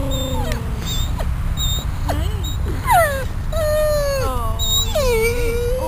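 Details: Dog recovering at a veterinary hospital after leaving intensive care, outside on the grass in the afternoon, uncomfortable and probably hungry, whining and 'talking': a series of high, wavering whines with rising and falling bends, some sliding sharply downward, over steady low background rumble.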